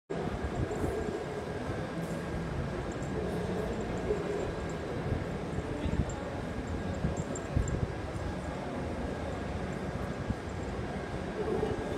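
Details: Steady low rumbling, like a passing train or machinery, fills the recording with faint murmurs of voices and no animal sounds.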